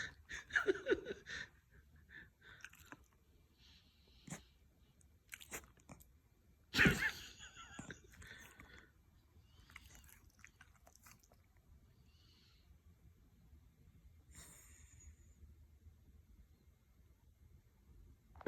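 A Shiba Inu gives a few light sneezes, short sharp snorts of breath in a quiet room.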